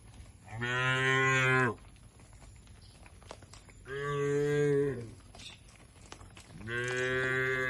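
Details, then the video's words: Three drawn-out moos, each about a second long and rich in harmonics, spaced roughly three seconds apart, from tame cattle being herded to a broad field in the countryside; quiet rural background between calls. "Suara Lucu Sapi Menghibur"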